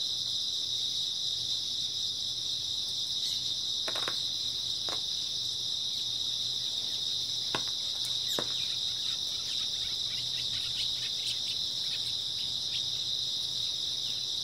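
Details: Grass insects ring out on an early autumn night in a constant high-pitched trilling wall of sound. Scattered crackling ticks cluster in the second half.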